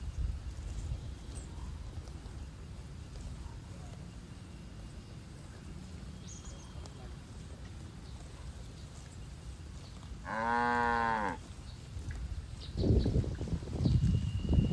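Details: Cattle from a herd grazing in a green field: a single low, drawn-out moo of about a second, midway through, over quiet rural background with faint rustling and thudding noises.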